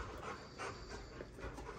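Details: Pet Rottweiler greeting a newborn baby at home, quick faint huffing breaths roughly three or four per second, hissy and steady against a low indoor background hum.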